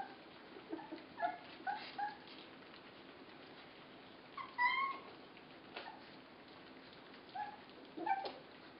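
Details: Puppies 24 days old, being fed, let out a few short squeaky whines, thin and tonal, spaced by long stretches of near silence.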